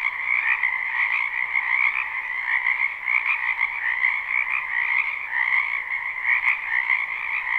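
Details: Croaking frogs massed in a spring wetland, captured live; a continuous pulsing chorus of high and mid trills that swells slightly in places, with a single faint click late on.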